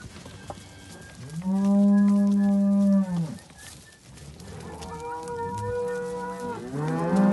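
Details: A herd of seventy Simbra cows with their calves. One long, steady, low moo holds for nearly two seconds, then a second, slightly higher bellow follows, and a third call begins at the end.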